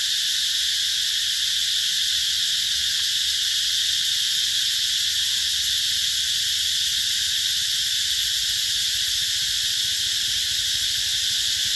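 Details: Cicadas in summer 2021 at the Mỹ Luôn eco-tourism garden in Vietnam, a dense, shrill, continuous high-pitched drone filling the whole recording at even loudness without a break.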